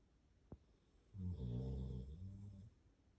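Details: A sleeping puppy gives one drawn-out, low rumbling snore lasting about a second and a half, preceded by a brief faint click, in a quiet indoor setting.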